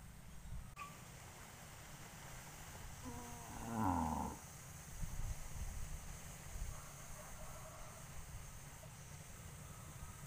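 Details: Livestock cattle gathering on a road before going to pasture; a single short, fairly faint moo rises briefly midway, otherwise only continuous low rumbling background noise.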